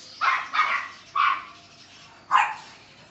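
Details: Male Neapolitan Mastiff puppy, seven weeks old, giving four sharp, high yapping barks, the first two close together, then a gap, one more, and a final bark after a longer pause.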